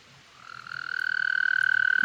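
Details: Toad calling while trying to mate: a steady, high, buzzy trill made of fast pulses, swelling from quiet to loud over two seconds and holding one even pitch with faint overtones.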